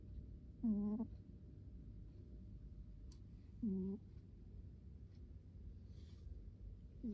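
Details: Indoor sleeping cat snoring: brief squeaky snores with a slight upward bend, each lasting under half a second and spaced about three seconds apart, over a quiet low hum.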